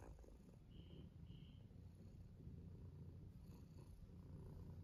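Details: Tuxedo cat purring during a belly rub: a soft, steady, low rumbling purr running continuously throughout, with a couple of faint high tones in the background.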